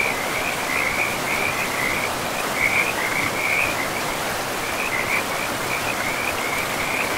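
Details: Frogs beside a river deep in a pristine forest give high, rapidly pulsed trills in uneven bursts through the whole stretch, laid over a steady wash of flowing water.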